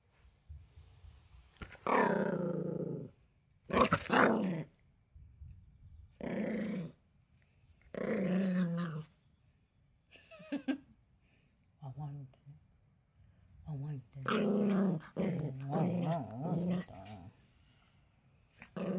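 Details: Toy Poodle growling angrily after his towel is taken away: a series of rough, harmonic growling bursts, each about a second long, separated by short silences, with several louder drawn-out snarls.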